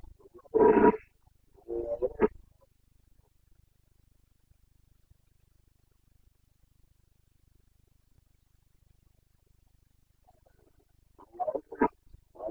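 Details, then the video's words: Carpathian red deer stag in Bucovina's mountain forests during the autumn rut, 29 September 2022; two short hoarse roaring bursts at the start, a long silence, then a ragged cluster of grunting roars near the end. "Boncănit / Carpathian stag Breeding season"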